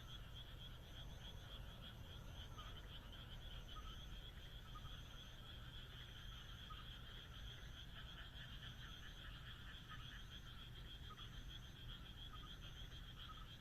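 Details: Frogs fill a moonlit Japanese countryside night with a dense, pulsing croaking chorus of many animals, while brief high buzzy notes repeat about every second over a faint low-frequency rumble.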